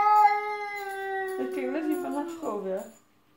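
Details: Pet cat Tika gives a long, steady, tonal yowl that breaks into wavering, talk-like modulated syllables before fading out.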